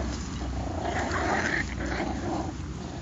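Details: Patterdale Terrier puppies make a continuous throaty growl that swells slightly in the middle, rough and noisy, with faint rustling beneath.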